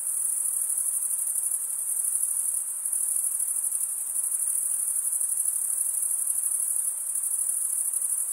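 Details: Male crickets chirping by stridulation, one wing scraped along the toothed underside of the other. A constant shrill trill of rapid pulses fills the whole clip at an even volume, with a quiet background.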